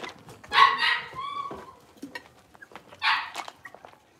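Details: Blenheim Cavalier King Charles Spaniel puppies, a litter of five born on New Year's, playing in an indoor puppy pen; two short sharp yappy barks about two and a half seconds apart, with faint thin whines between them.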